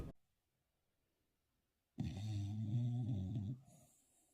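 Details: Paquita, a little female pet dog, asleep during a snoring contest; after near silence comes one low, rumbling drawn-out snore lasting about a second and a half, then quiet breathing.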